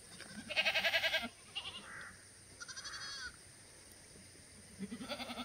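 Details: Black goats in a farm exercise yard below Mucheoksan, Gimhae, South Korea, clear Wednesday morning, August 2020; a quavering bleat opens, followed by softer, higher wavering calls and another vibrating bleat at the close.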